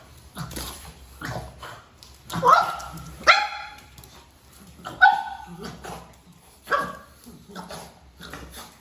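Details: Female baby pug Paapa barking vigorously out of fear of a peacock feather: short ringing yips and barks come roughly every one to two seconds, with a person murmuring in Tamil between them.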